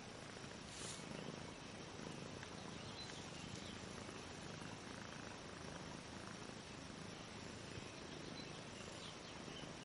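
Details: Mother cat lying with two-week-old kittens that have just opened their eyes; continuous low, even purring blends with a broad hiss for the whole stretch, with no other clear sounds.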